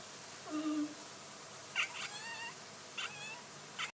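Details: Domestic cat giving weird vocalizations: a low drawn-out tone, then wavering, trilling meow-like calls with bent harmonics, followed by shorter chirping bursts, all against a quiet background hiss.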